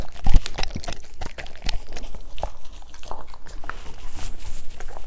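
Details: German Shepherds eating green foods indoors, loud irregular crunching and chomping bites coming every fraction of a second, with wet mouth noises between them.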